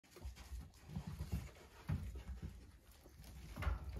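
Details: Cavapoo x Poodle mix puppy panting indoors: soft, irregular low breathy puffs and thumps, quiet throughout, with faint handling noises.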